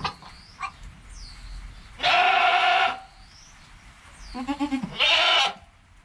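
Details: Joel, a goat kid less than an hour old, with his mother Penny nearby; a strong harmonic bleat followed by a wavering, stuttering lower call that rises into a second loud bleat, with soft background rustle and thin high chirps.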